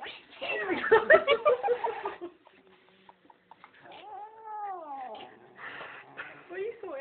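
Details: Domestic cat being combed out at a groomer, protesting; a long drawn-out yowl arching up and down follows a burst of human speech, with shorter complaining cries near the end.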